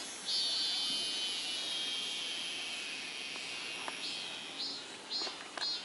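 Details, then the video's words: Cicada singing in summer, a steady high-pitched shrill drone holding for several seconds, then breaking into short rising swells near the end. "여름-매미미의 노래"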